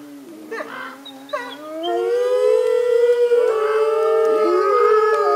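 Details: A captive North American gray wolf pack howls together in a long session, a chorus of long, smooth, overlapping tones.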